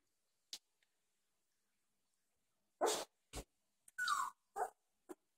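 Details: Two-and-a-half-week-old Doberman pups playing together and growling constantly. A few brief yelps and rough grunts sound in quick succession, and one thin whine slides downward near the end.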